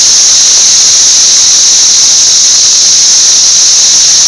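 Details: A massed chorus of thousands of Brood XIX periodical cicadas swarming a six-story Nashville wall, May 24, 2011: an intensely loud, constant high whine, flat and continuous throughout, with no other sounds.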